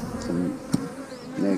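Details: Honey bees hum around an 8-frame hive being opened, with frames of stored honey and nectar. Swelling and fading buzzy drones, one sharp click near the middle, and a faint high chirp.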